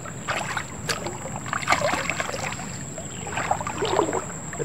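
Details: Water splashing and paddling noises with a steady high electronic whine, no animal calls heard.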